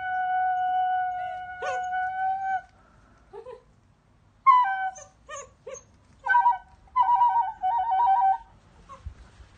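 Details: Lua, an 8-week-old female German Shepherd puppy, reacting to flute playing. A sustained flute note gives way to short, broken, high-pitched howls and whimpers with wavering tones, mixed with further flute phrases.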